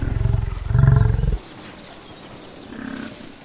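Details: Buffalo in nature giving one loud, deep, rough bellow lasting just over a second, rich in low tones and rising slightly in strength before it stops abruptly, followed by quiet outdoor background with a faint, softer sound near the end.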